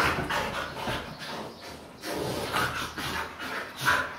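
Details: Siberian Huskies playing wildly on a sofa indoors: a string of breathy, broadband snorts and grunts every half second or so, a brief thin whine near the end, and a voice telling them to calm down.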